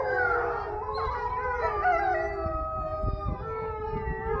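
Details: A wolf pack gives an evening howl together, several long drawn-out voices overlapping at different pitches.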